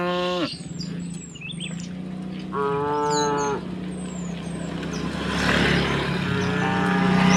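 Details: Tame cows mooing while being driven across a wooden bridge to the fields; several overlapping harmonic moos with a steady low drone, bird twitters above and growing rushing noise toward the end.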